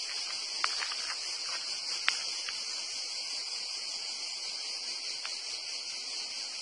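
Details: Cicadas in a dense pine forest between Torre dell'Alto and Torre Uluzzo, Porto Cesareo, sing in a dense, steady, high-pitched buzzing drone that never pauses.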